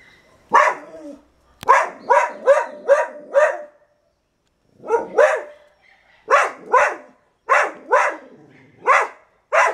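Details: Morning barking by Moksi, a female dog at her lookout in Suriname, announcing herself to the neighbourhood as other dogs join in; loud, abrupt barks arrive in clustered runs of three to five, separated by brief silences.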